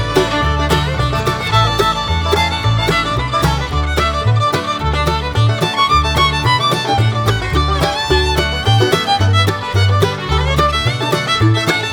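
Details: Upbeat bluegrass-style fiddle music plays the whole time over a rhythmic bass. No animal voices can be picked out.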